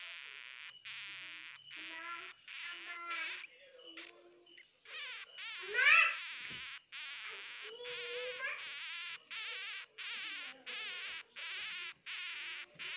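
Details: Baby hamsters crying, heard as a fast series of short, harsh, buzzy squeaks with wavering pitch, separated by brief gaps, plus one louder rising squeal midway and a few lower tonal whines.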